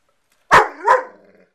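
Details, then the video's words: Ziggy, a pet dog, barks at another dog named Hurley over a wanted bone indoors: a sharp double bark, two loud yelps about a third of a second apart trailing into a short whining tail. "Talking Puppy!"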